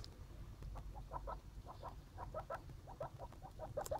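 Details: Baby skinny pigs from a litter make a rapid series of short, soft squeaks, some closely paired, over a low background rumble.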